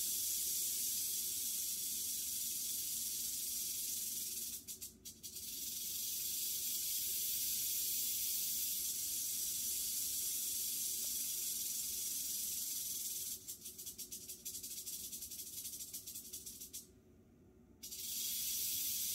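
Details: Captive western diamondback rattlesnake, fresh from a shed three days before, during a mouse kill: continuous high rattling buzz that cuts out briefly near five seconds, then stutters and drops away for a moment before resuming strongly.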